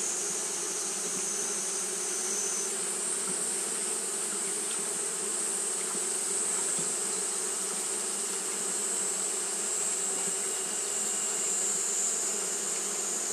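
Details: A mass of Japanese honey bees fanning through a hot day produces a rich, steady drone with a throbbing low buzz. A thin high whine changes tone early on, then holds.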